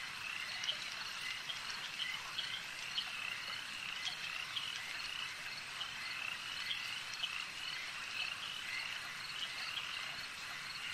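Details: Frogs calling at a lake: a dense, steady chorus of high trilling croaks with scattered brighter chirps, no pauses across the whole stretch, and a faint hiss of background noise.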